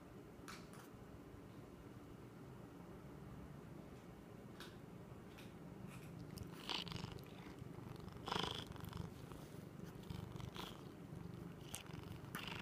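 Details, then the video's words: A male kitten making a strange noise while he eats: a steady low purring rumble runs throughout. Soft clicks and chewing bursts come through, with a louder burst near the middle, in a small indoor room. "Kitten makes funny noises"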